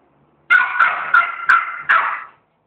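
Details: A two-month-old female schnauzer puppy gives a quick run of five high, tonal, sharply started yelps that trail off, protesting after making a mess.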